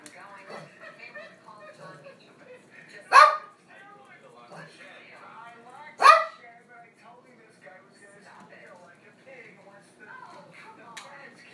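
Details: Dog giving two sharp, loud barks about three seconds apart, each a short broadband burst, with a low murmur of quieter background sounds between them.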